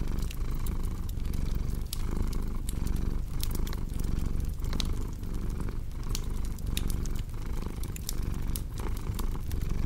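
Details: Rumbling purr of a domestic cat, soft and even with rhythmic breath breaks every half second or so, while a fireplace crackles and pops loudly above it.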